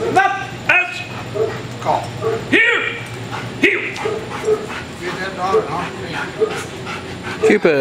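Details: IPO 3 black German Shepherd protection dog, working-line stud trained at home, barking in training; short harsh barks and whining yips come every second or so, mixed with a handler's spoken commands and a constant low hum.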